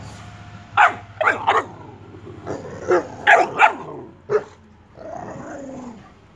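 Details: Boxer puppy and adult Boxer dog playing actively, giving a series of sharp, loud barks in irregular bursts, some doubled, with lower growly undertones between them and a steady low hum in the background.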